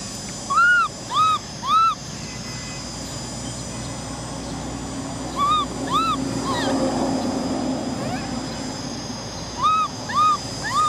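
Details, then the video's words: Cola, a baby orphan macaque girl, cries for a bike ride in bursts: three arched whining cries, a long quiet gap, two more, another pause, then three again near the end, steady hum throughout. "Cola monkey cries because she wants to ride a bike! Baby Cola cries"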